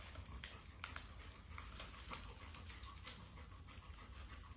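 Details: Golden retriever at play indoors, giving soft, rapid, steady panting with scattered light clicks and rustles over a low background hum.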